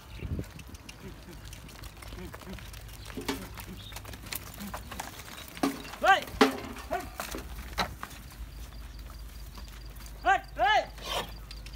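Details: Baby goats playing and jumping outside a goat farm in Karachi, Pakistan, at Bakra Eid; two pairs of short, wavering, nasal bleats come near six and ten seconds, with people talking and a low rumble throughout.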